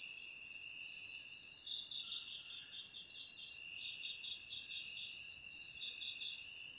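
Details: Crickets, presented as a natural rat repellent for the home, open with a bright, evenly beaded chirp train over a high steady trill. Softer pulsing chirps continue beneath the unbroken drone.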